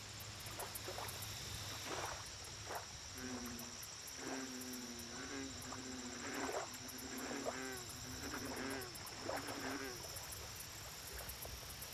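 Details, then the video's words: American bullfrog at a lake, a run of low, droning harmonic croaks repeated about once a second among fainter chirping frogs, a steady high insect hum and a low background rumble. "Bullfrog Lake Audio Only - Nature Sounds"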